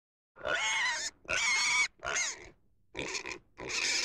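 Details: Domestic pig giving four loud, shrill squeals, each about half a second long and separated by short silences, with harsh, rasping harmonics and no other sounds.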